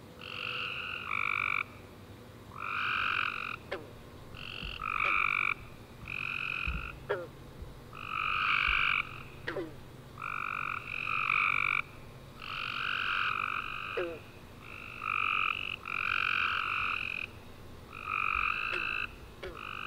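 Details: Night chorus of tree frogs following a warm, rainy summer day, steady rounds of buzzy chirping trills overlapping one another, each burst lasting about a second, with brief clicks in the gaps.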